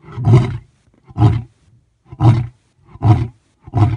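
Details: Deep grunting huffs of a male lion's roar, Thornybush Private Game Reserve, South Africa: five low, hoarse pulses spaced under a second apart, tapering in strength, with quiet gaps between.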